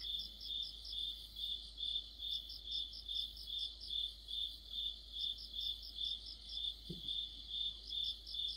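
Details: An autumn cricket chorus. A clear, shrill, regular chirp comes about 143 times per minute, overlaid by a higher-pitched insect trilling in brief groups, and a single dull low knock near the end.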